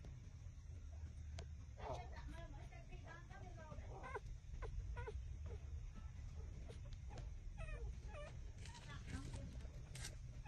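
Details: Six-day-old street puppies trembling as they suckle at their mother's teats, giving thin, wavering squeaks and whimpers in short clustered bursts, some rising then falling, over a steady low rumbling background.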